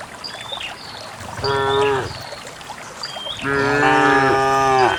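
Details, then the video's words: Dozens of cows go out en masse to a green valley on a quiet rural morning to find fresh grass. A short, deep moo is followed by a longer, louder, sustained one. Small birds twitter in the background. "the distinctive sound of cows"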